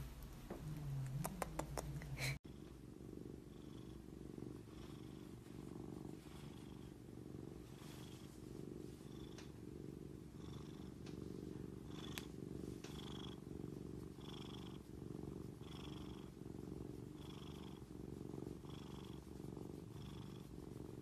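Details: Grey Korat kittens, a domestic cat breed, purring indoors: a steady, low rumbling purr pulsing evenly for about eighteen seconds, preceded by a short burst of voices and clatter.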